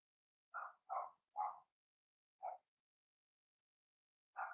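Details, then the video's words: Young Blenheim Cavalier King Charles Spaniels barking in their indoor puppy pen: a quick run of three barks, a gap, one more bark, then another after a longer silence. "Cavalier Puppies Bark, Howl"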